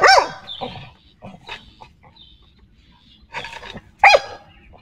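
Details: Xiao Mi, a pet dog pleased with today's weather, barks in a loud opening burst, then gives softer short yaps and two more strong barks near the end, with light chirping of birds between them.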